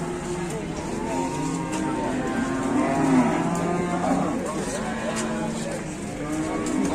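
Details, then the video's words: Cattle in Indonesia, described as raging bulls fighting, giving several overlapping harmonic moos that waver and slide through the middle seven seconds over a steady background hum. "SAPI NGAMUK ADU BANTENG"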